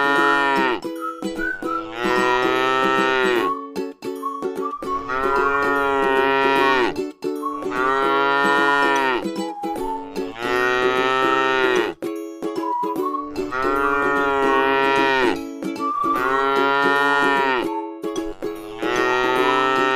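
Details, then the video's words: Tame cattle at rest in a rice field give a steady series of six drawn-out, rich moos, each roughly two seconds long with short breaks, accompanied throughout by light plucked music. "suara sapi lucu jinak yang sedang istirahat di sebuah ladang sawah yang indah"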